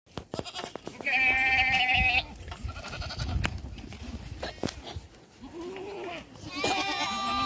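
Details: Young black goats on a farm in Gimhae, South Korea, running about in July; two harmonic bleats, one near the start and one at the end, with clicks and scuffling noise between.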